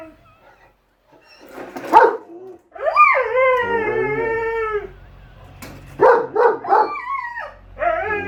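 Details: Household German Shepherd Enzo and Husky Shira debating a lawn mower, one loud bark, then a long rising-then-falling howl lasting about two seconds, followed by quick barks and a short rising whine.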